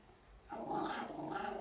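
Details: Maltese dog that looks fierce but is fearful, especially aggressive when its owner holds it; after a quiet start a steady, sustained rough growl sets in and continues to the end, with faint room noise.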